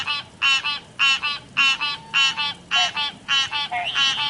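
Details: River frogs give steady paired croaks, two raspy buzzing pulses in quick succession, repeated roughly twice a second, with a brief faint rising whistle near the end.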